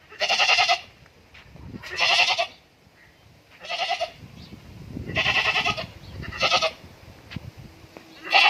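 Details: Goat on a farm in Indore bleating repeatedly, six rough, wavering cries spaced one to two seconds apart, with soft rustling and shuffling between calls.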